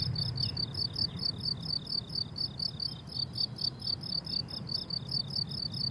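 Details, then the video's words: Summer meadow crickets in bloom, trilling in quick, evenly spaced high pulses that overlap into a continuous shimmering chorus, with a soft low hum underneath. "Relaxing Cricket Sounds on a Summer Meadow"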